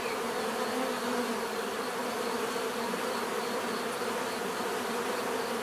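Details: Natural buzzing of many bees, a constant thick hum with a bright overtone layer, steady and unbroken across the short stretch.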